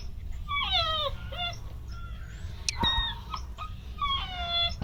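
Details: Belgian Malinois puppies with high prey drive, 50 days old, in Tamil Nadu: several high, thin whimpers and whines that slide downward, repeated in short bursts, with a sharp click midway and faint background noise.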